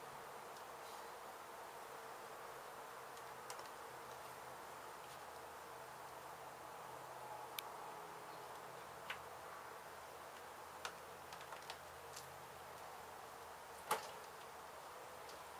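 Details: Honey bees from a hive struck by construction crews at an abandoned home being demolished in Mission, Texas, during a rescue and relocation: a steady, dense droning hum, with scattered sharp clicks and taps throughout.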